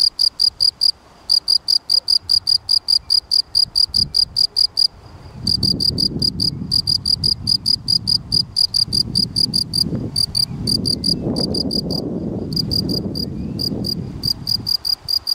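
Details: Long chirping run from a field cricket, Gryllus campestris: rapid clear tonal chirps in trains with occasional pauses, while low rustling and rumbling noise swells in the middle and end.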